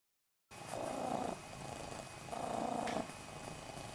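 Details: Snowshoe cat, one of the pets Nevada and Noodles, whose voices greet and ask for a fuss, food or a walk; two drawn-out, steady low calls, each under a second, separated by a short pause, over faint room hiss.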